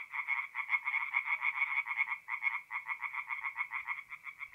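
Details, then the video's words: Tree frogs singing at night at a forest pond in mid-April in north-east Italy: rapid pulsed croaks, roughly two per second, in a dense overlapping stream with a brief dip near the middle, no other sounds. "relaxing forest pond by night with singing tree frogs"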